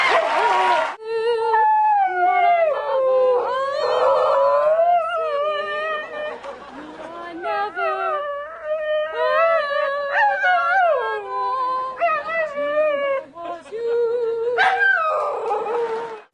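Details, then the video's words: Dogs 'singing' in the Singing Dog Contest on the Tonight Show with Johnny Carson: wavering, sliding howls held for several seconds at a time, overlapping one another, with a studio audience cheering and laughing. "The Singing Dog Contest"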